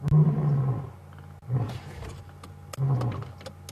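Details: Close wild male lion during an afternoon safari drive, ending a roaring bout with three fading low grunts spaced about 1.3 seconds apart, softer and rougher than full roars, with faint clicks in the background.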